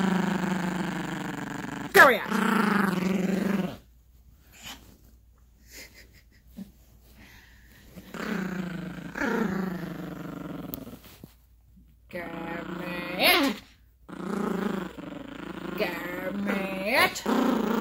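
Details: Gracie, a young Yorkshire Terrier, growls repeatedly during a play fight with a dog toy on a bed indoors. Several rough, drawn-out growling bursts are separated by quiet pauses, and a man's voice talking to her is mixed in.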